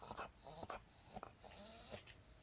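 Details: A Border Collie stares at its sleeping owner and makes an odd, strained vocal sound: short nasal whines and grunts broken into quick bursts, with faint room noise underneath.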